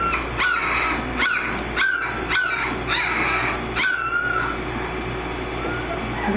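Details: Kimi x Viho American Mastiff pups, 18 days old, at Sycamore Creek Ranch: a run of abrupt squeaky squawks about every half second for four seconds, then quieter fading whines, low hum in the background.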